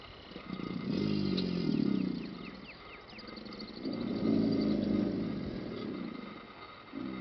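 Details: American alligators bellow in deep, rumbling bursts, each over a second, with small birds chirping faintly, at La Chua trail, Paynes Prairie Preserve State Park, Gainesville, Florida.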